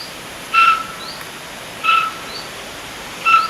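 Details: Roe deer fawn calling for its mother, who waits nearby: three short, clear, piping whistles, evenly pitched with a faint upper overtone, about every 1.3 seconds, with faint high rising chirps of a small bird between them.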